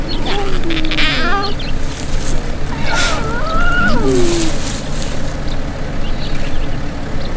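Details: Hungry young lion cubs with a lioness near a safari vehicle in the Maasai Mara, Kenya, coming out into sunlight to feed and play. Several thin, wavering whines slide up and then down, overlapping in places, over a steady low engine rumble.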